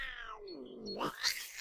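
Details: A very agitated female domestic cat gives a drawn-out, falling open-mouth growl ending in a harsh, noisy burst as she defends herself from another cat's attacks.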